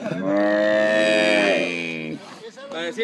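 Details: Calves bawling while being branded at Pedro Celestino Negrete, El Oro, Durango. One long, loud, steady moo lasts about two seconds and fades, followed by people talking.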